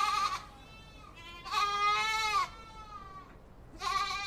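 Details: Awarid goat bleating three times, with a short bleat at the start, a long wavering one of about a second in the middle, and another at the end, all strongly harmonic and nasal, with quiet pauses between them.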